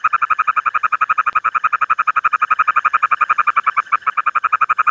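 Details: Frog calling in a steady, fast series of short mid-pitched croaking pulses, about four per second, evenly spaced and unbroken for the whole stretch, with no other clear sounds.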